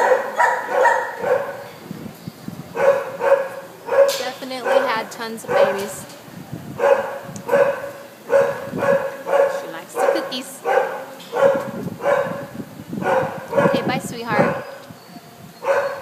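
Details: Red and tan Doberman Pinscher held at a shelter in Devore, barking steadily in loud, harmonic barks spaced about half a second to a second apart, with a few brief pauses between runs and some kennel echo.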